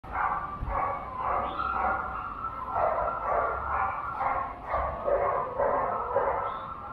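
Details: Border Collie at the Junior Agility Competition 2021, Doggiedoo Rangsit, 21 November 2021: rapid, steady barks, about two per second, running through the whole stretch over a busy indoor background.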